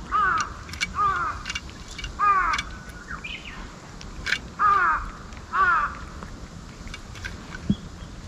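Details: Stray ear-tipped sakura-neko cats cry loudly while being fed Kalkan and Churu in a ruin-like spot. They stay wary but eat fast. About six drawn-out, falling, wailing meows come in bursts, with short sharp noises between.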